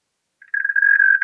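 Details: European mole cricket singing at Pabing, Austria, on 31 May 2021: after a short silence a steady, even churring tone starts up, low-pitched and unbroken, and grows a little louder toward the end.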